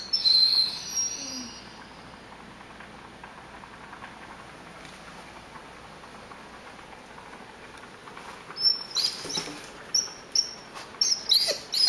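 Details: Indoors, Tim the Rhodesian Ridgeback, a male pet, whines over ground beef cooking. A long high whine opens, then a quiet stretch of room noise, then a quick burst of sharp, squeaky whimpers in the last few seconds.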